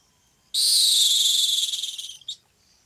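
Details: A rock hyrax (dassie) gives its harsh, high, hissing scream that breaks into rapid pulses before ending, recorded at rocky outcrops in the African savanna, where it calls at night.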